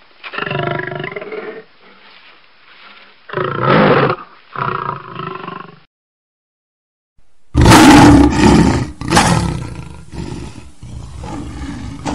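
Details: Roaring lion: a few shorter harmonic roars and grunts, a pause of silence, then a loud, harsh, broadband roar that gradually weakens into rumbling grunts.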